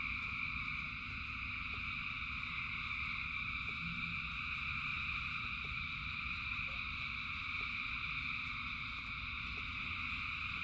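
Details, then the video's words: A vast chorus of frogs sings through the rain, an unchanging wall of high, buzzing trills sitting above a heavy, low downpour, broken only by scattered faint taps. "Frogs in Rain 2 Hours of Frogs, Thousands of Frogs Singing"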